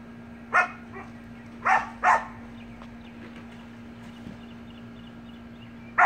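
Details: Samoyed puppy and siblings at play in a pool: a high yappy bark, then a quick pair of barks, and a last yap at the very end, over a constant low electrical hum.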